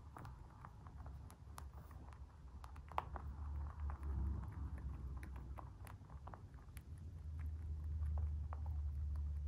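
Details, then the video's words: Free-range white mini lop rabbit of a dwarf breed munching its food, giving sharp crunchy snaps in quick irregular bursts that grow busier toward the end, with a constant deep rumble in the background. "Crunchy mouth sounds | Cute bunny"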